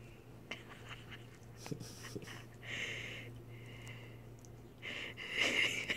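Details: A 12-week-old male Miniature Schnauzer gives breathy snorts and thin, high whines while trying to wake his owner.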